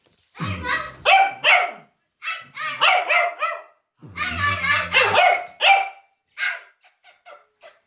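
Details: Cavalier King Charles Spaniel, scared, barking at silliness indoors: bursts of sharp, high barks in quick clusters with pauses, background music and a woman's voice saying "don't do that honey".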